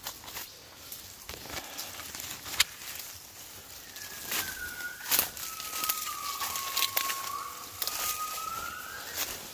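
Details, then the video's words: Wild gibbons in the jungle of Cat Tien, Vietnam, on 16 January 2023, singing at 5 a.m. on waking. Long, pure whistled notes slide downward, hold, then sweep upward. Footsteps and crackling undergrowth sound throughout. "observing & listening Gibbons"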